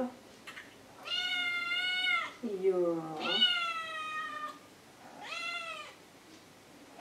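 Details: Maine Coon cats kept indoors, an adult of 10 years and a kitten of 3 to 6 months; three drawn-out harmonic meows, the middle one starting low then rising higher, with a person speaking Swedish nearby.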